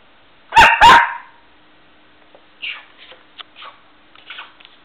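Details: Indoor West Highland White Terrier fires off a rapid pair of loud barks, followed by several soft, short yips and huffs trailing off over the next few seconds.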